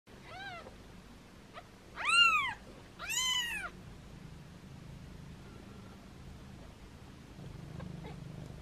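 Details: Foster kittens meowing playfully while held in hands: three high, arching meows, the first short and faint, then two louder, longer ones close together, over a low steady indoor hum.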